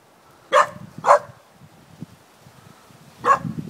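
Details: Puppy a few months old barking at an unfamiliar bucket, among its first barks: three short, sharp yaps, two in quick succession and a third after a two-second pause, with faint shuffling between.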